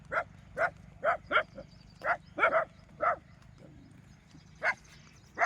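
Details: A burst of loud, clipped barks from street dogs driving off wild boars, fired in quick runs of two or three, then a pause before a few more, against a faint low hum.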